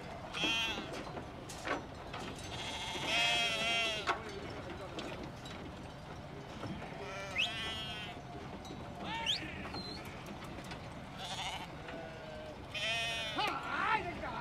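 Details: Merino sheep of a transhumant flock arriving back in Soria's Tierras Altas from winter pastures in Ciudad Real, Spain; repeated quavering bleats come in clusters from several animals, overlapping with background voices and crowd noise.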